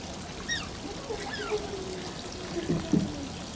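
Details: Two short, high, downward-bending squeaks from Shishimaru, an Asian small-clawed otter at Oji Zoo, then trickling water and a brief human voice.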